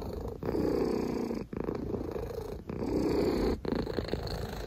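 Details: Close, loud purring from a house cat: a rough, buzzing drone in sustained stretches, dipping briefly about once a second at each breath, with no other clear sounds.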